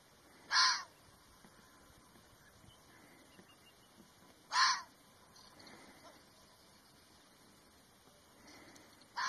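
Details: Red fox calling, with short, harsh, raspy bursts repeated roughly every four seconds against quiet background hiss.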